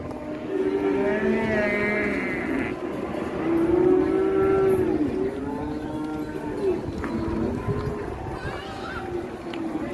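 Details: Cattle in Java, Indonesia, raging as they are released, with an elderly handler present: drawn-out, low lowing moos that rise and fall over several seconds amid a murmuring crowd, people talking and background clatter.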